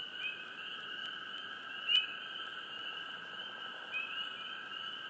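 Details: Close frogs in a quiet swamp give sparse, quick upward-sliding chirps, one early, one near two seconds and one near four, set against a constant shrill background hum of many callers.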